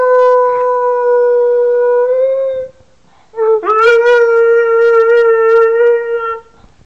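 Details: Pet dog described as a good singer, giving two long, steady, tonal howls, the first drawn out for over two seconds and rising slightly at its end, the second starting abruptly after a short pause and held with a slight waver.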